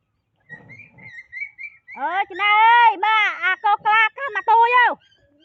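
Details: While eating watermelon, the monkey Keery yells when told to stop. A faint squeak opens a rapid run of loud, shrill, wavering screams that rise and fall in pitch, about a dozen bursts over three seconds.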